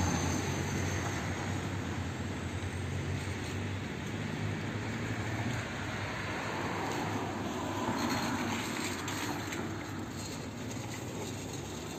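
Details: Steady rumbling traffic or train noise fills an outdoor urban scene, with no animal voice standing out.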